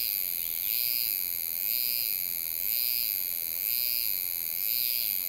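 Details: A Lai's cicada (Euterpnosia laii), recorded in July at Alishan, Taiwan, sings a shrill, high buzzing trill that swells in pulses about once a second.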